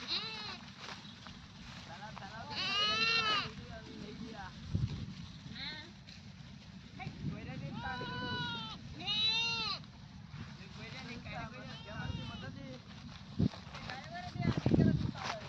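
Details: Goats bleating amid people talking: several wavering, nasal bleats with shaking harmonics, one around the third second and a pair near the eighth and ninth, over steady low background rumble and voices.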